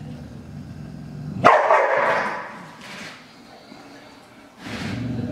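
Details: A dog defending its food from a hungry, rather timid tiger cub lets out one sudden harsh, loud snarling bark. It fades into quieter rough breaths and rustling, and a low murmur returns near the end.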